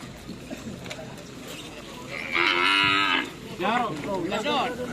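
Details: Bull-race cattle at a karapan sapi race at Asemanis field, Pamekasan, Madura, East Java, Indonesia: one loud, sustained harmonic bellow lasting about a second, followed by shouting voices and crowd noise.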